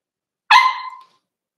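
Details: Overnight puppy cam on 8/27 of Cavalier King Charles Spaniel puppies Cooper, Conner and Jenny, Ruby and Blenheim coats, born 06/09/2022; one sharp, ringing yelp-bark, about half a second, sliding slightly down, in a quiet room.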